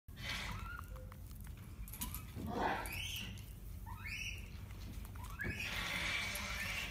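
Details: An 8-month-old Japanese macaque, curious about a Band-Aid on a keeper's finger, gives a series of high, rising, squealing coos over a low background rumble.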